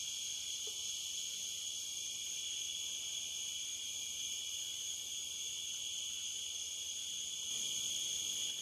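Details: Overnight on the Licking River at Morning View, cicadas produce a relentless high, even drone in stacked shrill bands, nearly unchanging, rising slightly in loudness over the final second.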